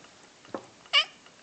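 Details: Persik, a pet male cat indoors, asked by his owner to say "kva" on request; a short soft sound, then one brief bright meow rising and falling, about a tenth of a second.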